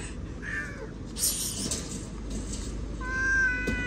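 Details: Domestic cat giving a short harmonic meow early on and a longer, steady, slightly wavering meow near the end, over a constant low background hum with a brief noisy burst in between.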